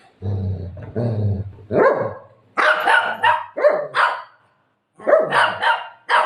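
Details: Buzo, a golden retriever, barks indoors during play with its owner after tearing a pillow. Loud, rough barks come in bursts of two or three, with short gaps between. A woman speaks Marathi at the start.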